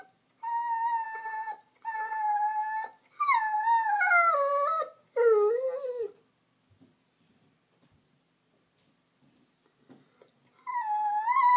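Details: Lonely female Vizsla, a gun dog, crying for attention: long, loud, wavering high whines in several bursts, some sliding downward, then a quiet pause before another whine starts, while her owner asks if she is lonely.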